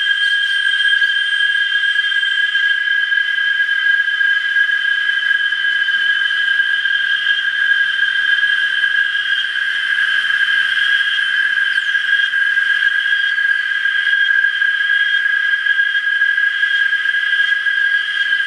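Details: A chorus of cicadas in Parque del Bicentenario, San Salvador, El Salvador, holds one steady, shrill, ringing whine without a break.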